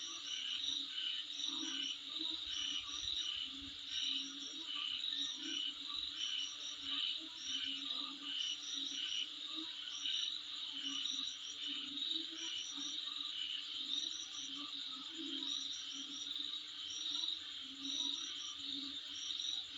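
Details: Outside a home, an insect chorus rings on: a dense shrill trill broken into rapid regular pulses about twice a second, with clusters of higher chirps and a faint low humming band throughout.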